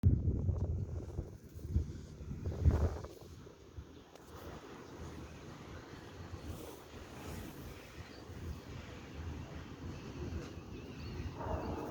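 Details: Outdoor wind buffeting the microphone with low rumbling gusts, louder in the first few seconds, and no clear animal voice.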